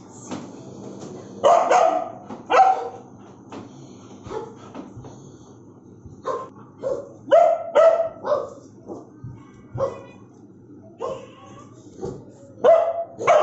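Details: A Bullmastiff barks aggressively in uneven bursts, loud gruff barks mixed with quieter, shorter woofs, pauses of a second or more between clusters.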